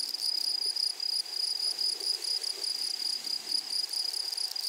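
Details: A flowery meadow rings with grasshoppers: a continuous high, shrill trill carrying a thin upper partial, broken by brief rhythmic wavers in loudness, with faint low rustling beneath.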